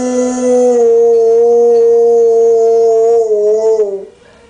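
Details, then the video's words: One-year-old Dogue de Bordeaux puppy howling along with tornado sirens: a loud, sustained, steady tonal howl held for about three seconds, then wavering and sliding downward before cutting off. "Dogue De Bordeaux Singing With Tornado Sirens"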